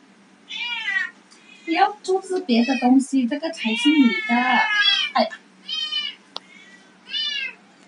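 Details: Kittens of mixed Persian and Domestic Medium Hair breeding, white, three months old, offered for adoption, let out clear high meows that rise and fall. These open and close the stretch, with Chinese speech running through the middle.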